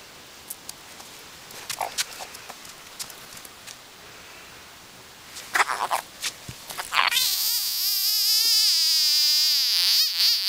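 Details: A singing frog: scattered clicks and taps at first, then a loud, sustained, wavering buzzy trill that rises and falls in pitch for the last few seconds.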